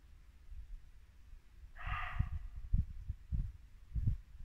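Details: Muntjac deer at dusk in late winter woodland in Norfolk gives one short, harsh bark with stacked harmonic bands, lasting about half a second midway through. Low rumbling thumps of wind or handling run underneath.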